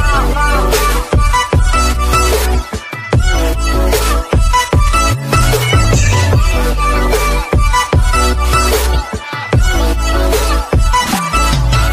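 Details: Loud electronic dance music with heavy bass beats and synthesized tones; no animal sounds heard.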